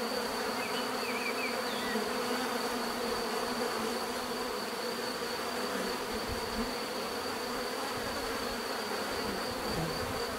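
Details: Continuous buzzing of a mass of bees, a thick even hum that never pauses, with a faint high steady whine and brief soft chirps near the start.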